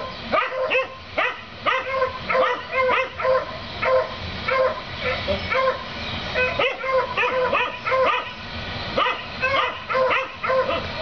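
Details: Neighbours' dogs, heard daily, barking at a rabbit, recorded 7 April 2014: steady volleys of short, high barks roughly twice per second, voices overlapping in uneven clusters over faint background hum.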